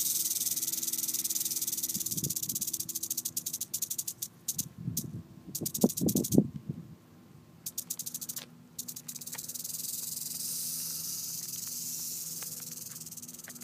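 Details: Red diamond rattlesnake met in San Diego in May 2012, breathing in to puff up its body: short low breathy bursts near two seconds and again around five to six seconds, amid scattered clicks and steady background hiss.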